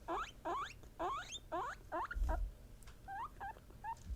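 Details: Pet guinea pigs, female Peruvian, English and Teddy breeds, calling to signal that they sensed something, possibly expressing emotion; about eight loud rising harmonic squeals in quick succession, a soft thump, then shorter upturned chirps.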